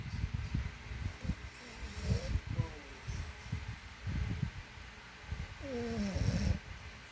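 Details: Loud French Bulldog snoring, compared to a person's: repeated low, rattling snore pulses in irregular groups, with a brief higher voiced sound near the end.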